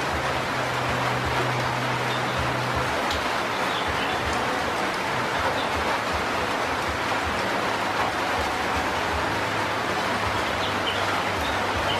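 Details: Steady broadband rushing noise, like rain or running water, with a low hum and no clear animal calls.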